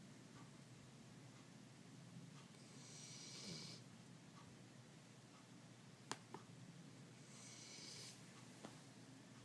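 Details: Rover, a Labrador Retriever indoors, breathes heavily to hint that his owner should stop working on the laptop; two long breathy hissing exhalations, near three and eight seconds, with a few sharp clicks in a quiet room.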